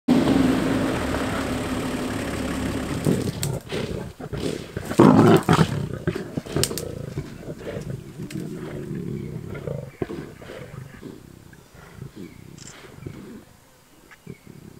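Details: Lions fighting over a wildebeest kill in and around Kruger National Park, South Africa, during a game drive: loud, harsh low snarling and roaring for the first few seconds, with a burst near five seconds, then fading into scattered growls and rustling.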